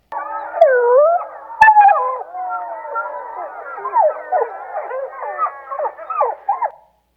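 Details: A wild gray wolf from the Rescue Creek pack, recorded up close by the biologger it wore, gives a rapid yip-yap series of short, wavering barks that bend up and down, a call used in choruses.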